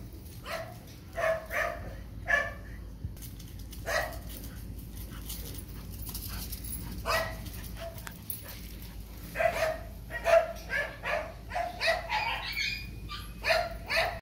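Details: Phu Quoc Ridgeback dog greeting its sweetheart after a long separation, sounding spaced, pitched yelps and whimpers, single or paired, with longer pauses, then a quicker run of short cries near the end.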